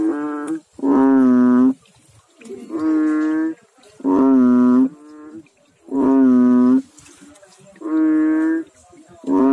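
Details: Frogs calling in water, overlapping calls at two slightly different pitches. Steady, nasal, bleating croaks repeat about every second and a half.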